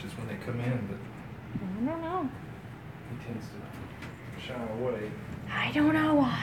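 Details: Close-up kittens, recorded 12/1/17, let out three drawn-out meows that rise then fall, the last one longest and clearest, while people chat in the room and a low hum persists in the background.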